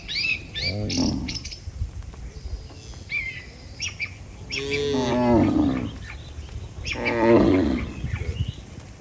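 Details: Healthy farm cattle walking together as a herd toward their barn, driven by a herder: two drawn-out, harmonic-rich moos rise out of the background, with sharp, high bird chirps scattered over the start and between the calls.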